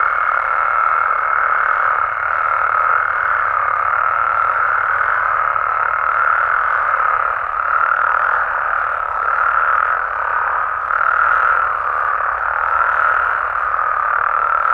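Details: Nighttime chorus of Mexican frogs and toads in natural habitat, many overlapping voices forming a continuous mid-pitched wall of croaking that swells and dips gently every second or two, with a thin steady tone fading out midway.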